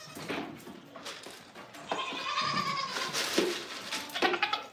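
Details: Goat on a small home farm in the morning, a doe not yet milked this year, with kids nearby; several short wavering bleats sound around the middle and end, mixed with soft rustling and handling noises.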